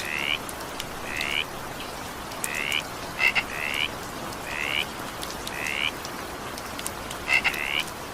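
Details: Evening rain with a frog: brief upswept croaks come in a loose series about every second, broken by a few crisp clicking pairs, all set against constant rain noise.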